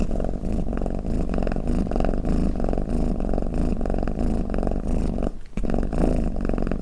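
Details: Snoring domestic cat, recorded to soothe listening cats: continuous low, throbbing rumble rising and falling in breath-length waves, briefly dropping out near the five-second mark before resuming.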